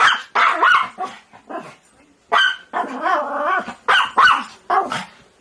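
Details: Dog, said to be begging, giving a mix of short barks and higher, pitched whining yelps in uneven bursts separated by brief pauses.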